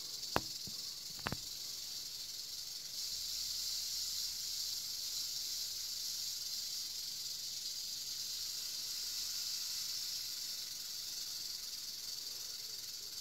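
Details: Captive eastern diamondback rattlesnake (Crotalus adamanteus) sounding a long, unbroken high-pitched rattle buzz like steady hissing, preceded by two brief clicks at the start.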